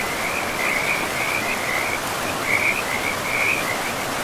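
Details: Forest river frogs giving quick high trilled notes in short runs, a brief gap near the middle, backed by the constant hiss of moving water.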